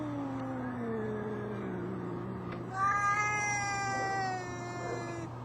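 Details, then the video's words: Two brother cats from the same mother arguing: a long, wavering, slowly falling wail, then a louder, higher, richly harmonic yowl that overlaps it for about two seconds before fading. A steady low hum runs underneath. "Cats arguing."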